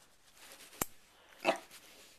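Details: Sherlock, a pet dog indoors, reacting to a hair clip being opened and closed: one sharp click, then a single short, harsh bark about half a second later in a small room.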